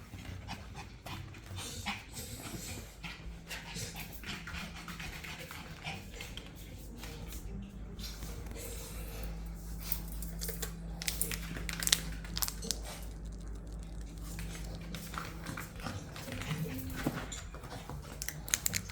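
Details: Pet dog indoors panting steadily while waiting to be offered treats, rapid soft breathy puffs with scattered clicks and rustling throughout.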